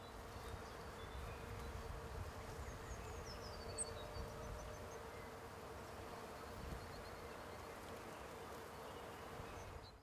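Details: Bumblebees drawn to pink flowers, a steady low droning hum running throughout with a faint constant tone, soft high bird chirps in the background.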